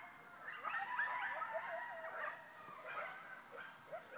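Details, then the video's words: Coyotes howl together close by, about 100 yards away, from all directions; wavering voices slide up and down and overlap with short yips. "Coyotes howling outside my door"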